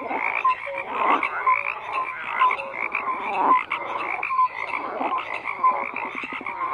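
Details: Chorus of croaking frogs: layered rasping calls fill the background while brief clear piping notes pop out roughly once per second, the whole mass swelling and dipping.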